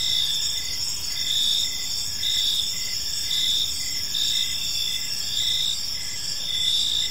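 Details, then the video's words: Gentle evening chirping of crickets in a park: bright, high, buzzy trills from several insects blend into a steady drone that swells rhythmically about once per second, with a soft low hum underneath. "Park Serenade: Cricket Sounds in a Peaceful Park | Evening Ambience"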